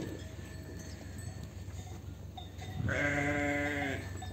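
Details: Sheep on a sheep farm during separation of lambs from ewes: after nearly three seconds of low rumbling background noise, one loud, quavering, harmonic bleat lasting over a second, with faint clattering in the background.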